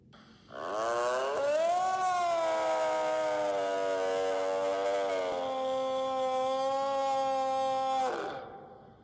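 A deer gives one long, rich, moaning call that rises briefly, then holds steady for several seconds.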